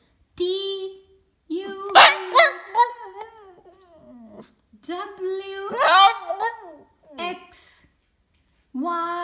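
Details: A Boston Terrier singing along to the ABC song, giving wavering, rising and falling howls and yelping cries in several bursts, with a person's voice urging it on between phrases.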